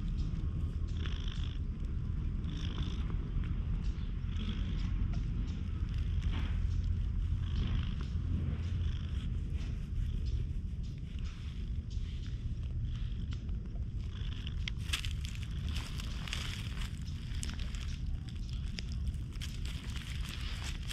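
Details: A black-and-white (hachiware) stray cat, met on a dry-air day and stroked with a grooming brush, gives a continuous deep, evenly pulsing purr under scratchy brushing strokes that grow busier toward the end.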